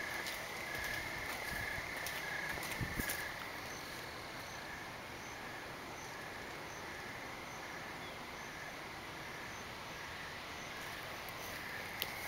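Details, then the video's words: Night-time crickets under thick clouds: faint, regular short chirps repeating quickly in a continuous line, with a fainter higher ticking from possibly another insect, plus brief rustles and knocks early on. "evening sounds of crickets"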